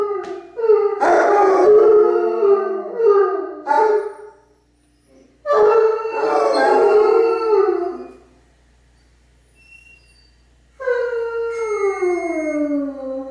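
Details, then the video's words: Basset Hounds and a Bloodhound harmonize their howls: bursts of overlapping wavering howls, a pause near five seconds, another chorus, then a quiet gap before one long howl sliding downward in pitch. "Howling away"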